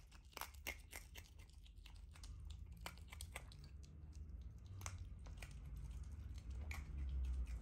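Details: A female pet otter chews food noisily, sharp wet crunches and clicks in quick uneven bursts about three a second, over a low room hum.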